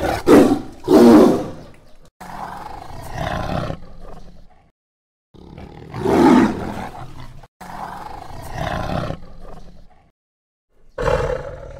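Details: Tiger roaring in deep jungle: harsh, rumbling roars in several bursts of one to two seconds, separated by abrupt silent gaps, with a final short growling roar near the end.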